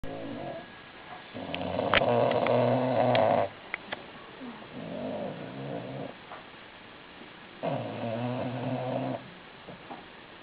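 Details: Didi, a female bulldog, snoring loudly indoors: two long, loud, buzzing harmonic snores about four seconds apart, separated by a softer, rougher rasping breath.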